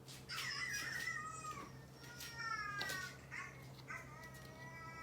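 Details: Domestic cats answering dog barking at home; loud harmonic meows follow one another quickly, pitch sliding down and wavering, over a low electrical hum.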